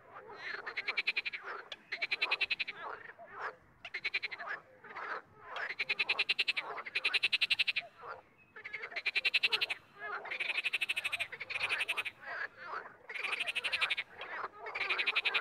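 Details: Frogs calling together in a steady chorus: loud, pulsed, rattling croaks about a second long, repeated in quick succession over fifteen seconds, with some overlap between callers.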